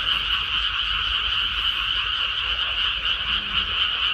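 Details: Frogs calling en masse from a rice paddy just after transplanting, a constant wall of overlapping croaks, buzzy and rattling, unbroken and even in loudness, with soft low background hum.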